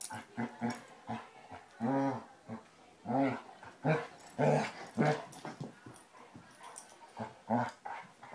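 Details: Two Basset Hounds, Tracker and the new puppy Ranger, rough housing during play; short harmonic barks and growly yelps come in uneven bursts, some closely spaced, with quiet gaps between them.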